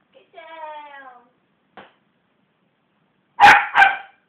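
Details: A West Highland White Terrier, provoked into growling and barking by hands bashing on a sofa: a drawn-out falling whine, one faint click, then two sharp barks in quick succession.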